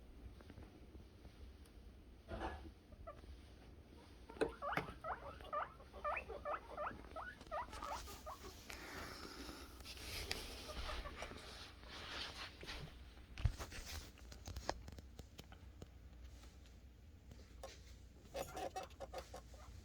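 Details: Guinea pig boars making happy noises while waiting for food: short rising squeaks in a burst during the first half, then rustling, tapping and handling noises dominate the rest.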